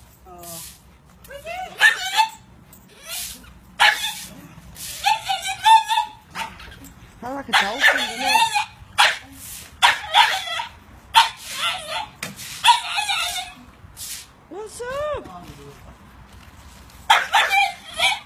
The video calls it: french-bull dog sounding like a dolphin